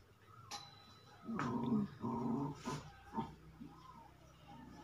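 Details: Puppies, German Shepherd and Rottweiler, offered for sale in Jaipur, Rajasthan, give low growling whimpers in several short bursts over about two seconds, followed by a man speaking Hindi and room noise.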